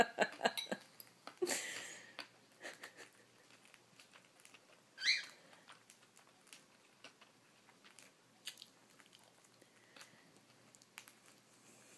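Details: Dry crunching and nibbling clicks of something small chewing a cracker indoors, with no clear calls.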